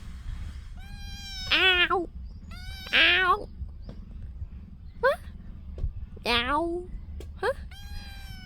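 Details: Kitten climbing a tree, giving about five high, harmonic meows, each under a second, some sliding down then up in pitch, spaced unevenly across the stretch, over a steady low background rumble.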